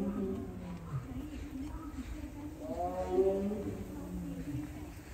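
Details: Siberian tiger Baekdu at Seoul Grand Park on 20 February 2022, crying often while kept apart from its younger sibling Taebaek. Low, harmonic moaning calls, with a longer wavering cry midway, over steady background noise.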